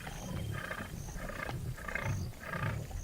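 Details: Lion of a large pride on the Luangwa River's west bank in Zambia giving a series of deep grunting pulses roughly every half second, low and rough, with brighter bursts above each pulse.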